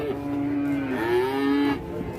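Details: A single sustained moo from an aggressive cow on an Indonesian cattle farm, holding a level tone and then swelling slightly before stopping abruptly, with faint voices behind.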